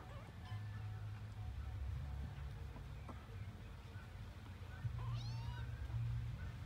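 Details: Kitten giving a single short meow late in the recording, a rising-then-falling cry with stacked overtones, over a steady low hum and faint background sounds.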